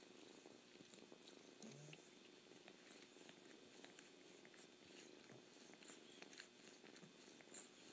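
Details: Close-up kitten purr, an even, unbroken rumble punctuated by small licking and slurping clicks throughout.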